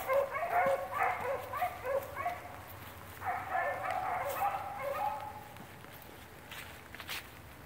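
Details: Blackcreek-bred beagles running rabbits, their baying quieter and more distant: bursts of yelping bays for a few seconds, a pause, then another volley that fades out, over steady background hiss.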